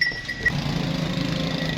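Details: Friesian cow offered for sale at Bonga Hayat, Pakpattan, Pakistan, giving a low, steady, droning moo that starts about half a second in and holds evenly to the end, with a thin high whistle-like tone early on.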